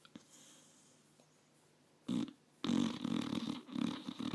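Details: Five-year-old pit bull asleep in a lap indoors, snoring while dreaming; after a quiet stretch, a loud rasping snort breaks out, followed by a run of throaty, rattling snores in quick uneven pulses.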